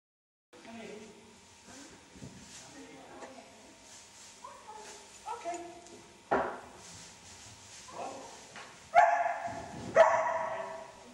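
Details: Puppies Liberty and Mulligan on 5 August, giving short scattered yips and barks, with a louder burst of two harsh barks near the end; people talk and praise over them throughout.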